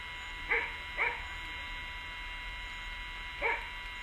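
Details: Barking Rhodesian Ridgeback during a morning walk: two quick sharp barks half a second apart, a pause of over two seconds, then one more bark, with a steady faint hum underneath.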